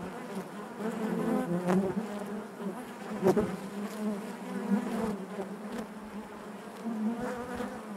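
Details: Dense hive hum of many honey bees, a thick unbroken buzz with a low fundamental and bright harmonics, a few sharp cracks near the middle standing out above the drone.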